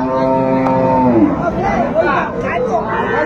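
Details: Cow at Ambari livestock market in Dinajpur, Bangladesh, 28 February 2025, among cows sold with their calves: one long, steady, harmonic low moo, then a shorter wavering bellow, over constant chatter of buyers and sellers.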